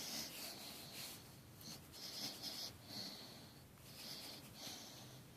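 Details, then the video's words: Sleeping Great Dane mix puppy breathing in soft, wheezy snores with a faint whistle, roughly one breath every two seconds, quiet and steady in a small room. "Snoring puppy"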